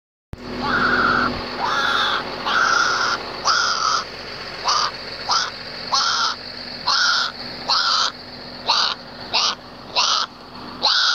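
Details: A young collared peccary that could not find its mother cries with shrill, nasal squeals, repeated roughly twice a second.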